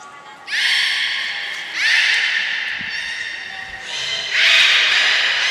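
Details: Belugas Gray and Mirai during a training session at Port of Nagoya Public Aquarium, Japan, on 15 June 2022; three long, bright, buzzy harmonic calls, each lasting over a second, echoing in a large hall.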